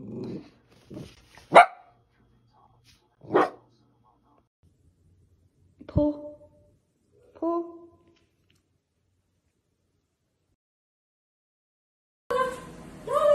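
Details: Dachshund, from a compilation of dachshund puppies and dogs, giving short, sharp yapping barks spaced a second or two apart through the first eight seconds. Some barks have a ringing, tonal quality. A quiet gap follows, then a brief burst of other noise at the end.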